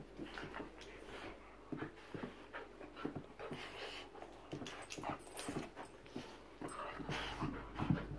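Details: Two Bull Terriers panting in quick, breathy bursts, with a few soft whimpers in a small room.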